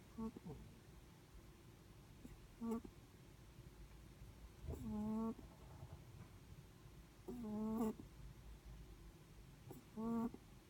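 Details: Sleeping Netherland Dwarf rabbit breathing in its sleep, giving short nasal, tonal snores in uneven bursts about every two to three seconds, five in all, over a low steady indoor hum.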